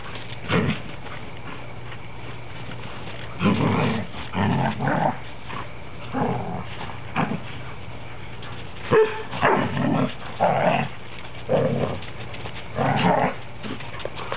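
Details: Playful growling from three standard poodles wrestling together, the cream one sounding like a grizzly bear; deep rough growl bursts, each under a second, recur every one to two seconds with a few sharp bark-like yaps, over steady background hum.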